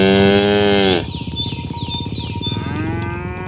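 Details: Tame cows herded in the morning along village roads to the pen. A loud, strong moo cuts off after a second, a softer rising moo follows, with cowbells jingling behind.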